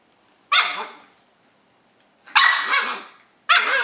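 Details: Three loud, high-pitched yaps from Nadia, a 5-month-old Löwchen puppy trying to get Tigger the cat to play, spaced about a second and a half apart, each ringing briefly indoors.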